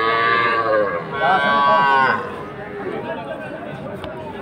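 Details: Sahiwal calf at a busy cattle market in Ambari, Dinajpur, on Monday 20 February: one drawn-out, tonal bawl lasting under a second, over constant crowd chatter and market noise.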